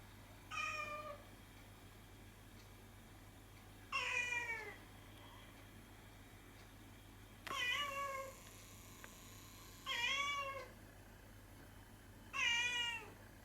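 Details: Domestic cat named Hatchan, indoors, chasing light reflected on the ceiling and meowing softly: five short falling meows, each a clear harmonic tone, spaced about every two to three seconds over a faint steady room hum.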